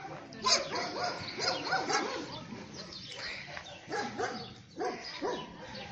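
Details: Mother dog with her puppies: short, abrupt barks and yelps in scattered bursts, some with quick upward-then-downward inflection, over a steady noisy background with a human voice at times.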